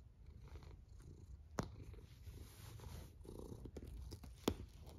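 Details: Cat snoring at rest, a low continuous rumbling drone with a few sharp clicks standing out, including two louder ticks, over a quiet indoor background.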